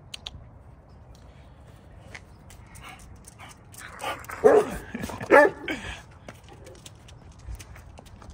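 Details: Two short barks midway through from Vern, a rescued St Bernard with bone cancer, talking with the neighbourhood dogs, set against low outdoor background noise and faint clicks.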